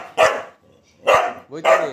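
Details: A pet Golden Retriever barking: three short, sharp barks, the second and third close together near the end. Quiet gaps lie between them.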